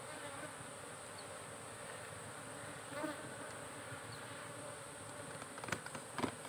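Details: Farmed honey bees at a hive kept in boxes, a steady droning hum with faint tonal bands low in pitch over dense broadband buzz, a soft knock near three seconds and scattered clicks toward the end.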